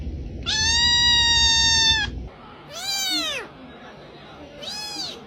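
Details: Domestic cat, a male said to be unhappy, with one long flat, insistent meow followed by two shorter arched meows that rise and drop, in a quiet room with faint hum.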